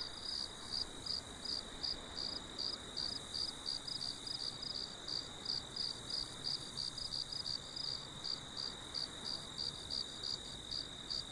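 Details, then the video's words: Crickets heard for relaxation: a long run of sharp, high chirps, about three per second with slight unevenness, layered over a steady tonal hum and faint broadband noise. "CRICKET SOUND FOR SLEEPING OR MEDITATING/SONIDO DE GRILLOS PARA DORMIR O MEDITAR."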